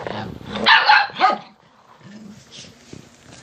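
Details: Dogs barking to wake their owner and get her out of bed: a burst of loud, harsh barks in the first second and a half, then quieter low rumbling and faint sounds.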